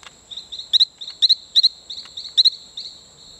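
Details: Talamanca rocket frog, a male calling near Playa Bluff on Isla Colon, Panama: bright twinned peeps repeated about twice a second among softer notes, set against a continuous high-pitched insect buzz.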